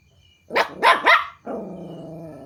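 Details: Puppy barking at strangers when hearing strange noises: three fast sharp yaps followed straight away by a long, wavering, howl-like whine.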